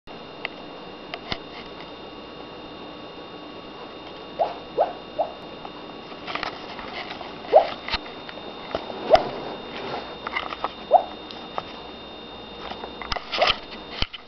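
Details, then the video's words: A sleeping female dog gives soft, muffled little woofs and yips, barking in her sleep, scattered irregularly through a quiet room. "Dog Barking in sleep"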